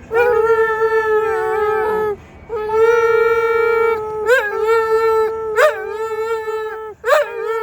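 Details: Dog singing along to music: long level howls broken by brief pauses, with sharp yelping rises and falls near the end, music faintly underneath.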